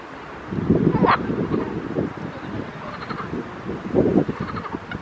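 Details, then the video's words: Low, rattling bursts of croaking from frogs in a pond come in two clusters, with one sharp rising call early and fainter higher calls between. "grenouilles chantes croasses leurs mélodies des grenouilles dans un etand d'eau"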